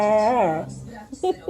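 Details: Pup complaining while wanting to play: a drawn-out, tonal moaning whine lasting about half a second, wavering up and back down, then a few short, soft yelping sounds in a quiet indoor room.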